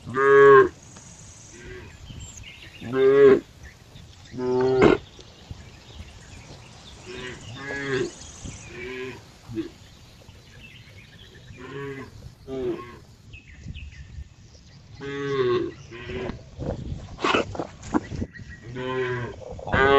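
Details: Cow giving a run of short, harsh, bellowing moos, each under a second long, at uneven spacing of roughly 22 per minute through the recording, some louder and some softer, with quiet background between calls.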